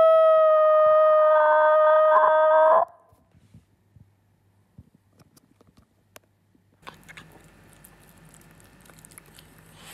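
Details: Italian Greyhound pet howling: a steady tonal howl that wavers slightly and breaks off after about three seconds, then near silence and a low background hiss.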